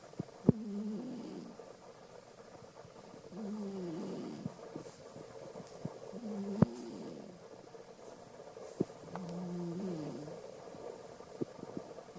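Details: Asleep and snoring rather loudly, the cat Alisa lets out four rough, wavering low breaths roughly every three seconds, with faint scattered clicks between them.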